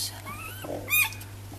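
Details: Newborn Dachshund puppies from a litter of eight, five males and three females, born on Sunday 5 May: a thin, high whine rises and falls over about half a second, then a short sharp squeak follows indoors.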